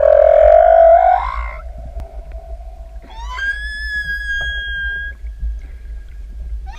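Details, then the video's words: Humpback whale song from a lone singer in open ocean, recorded from directly above: a loud wavering moan that rises slightly, then after a pause a long, clear, high whistled tone with bright harmonics that holds steady. "Sortie Baleine du 2809 "elles chantent""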